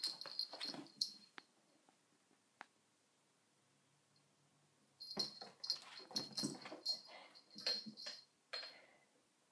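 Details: Sona the dog at a cushion: quick breathy snuffles and squeaky high whines at the start, a quiet gap with a soft low hum, then a dense run of rapid wheezy, sniffing bursts.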